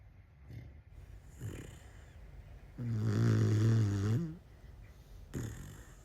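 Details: Cane Corso puppy snoring: soft breathy snuffles, then one loud, deep, rattling snore lasting over a second, followed by quieter breaths.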